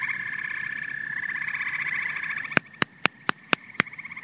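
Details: Frogs and toads calling together: a dense pulsed trill near mid-high pitch runs steadily, then a series of sharp, evenly spaced clicks sounds about every quarter second over a quieter chorus.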